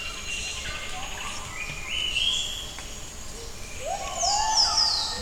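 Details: Gibbons sing in the morning at Camp Leakey, Tanjung Puting, a song of rising, sliding whoops carrying through a humming jungle.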